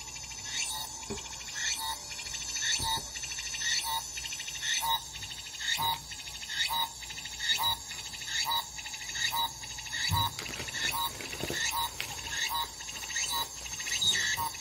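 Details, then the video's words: Japanese cicadas calling in a regular series of short, bright, overtone-rich notes, roughly one each second, continuing throughout over a faint background hum. "일본 매미 모음"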